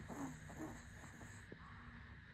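A sleeping Shih Tzu snores softly, with low, rasping breaths over a faint steady hum.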